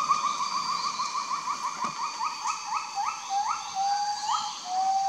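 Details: A Kloss's (Mentawai) gibbon gives its morning call, a quick run of rising, hooting whoops that slow into longer, lower, sliding notes.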